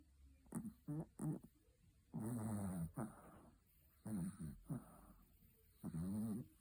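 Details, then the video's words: A sleeping Chihuahua named Betty snores in uneven bursts: quick short snuffles, then longer, gravelly, vibrating breaths repeated roughly every one to two seconds. "Как храпит Чихуахуа Бетти"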